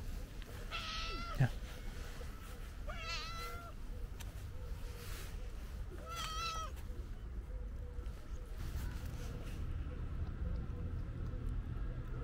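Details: A stray calico cat gives three loud, wavering harmonic meows spaced about two to three seconds apart, followed by quieter murmurs, with low-pitched street traffic and a steady hum behind it.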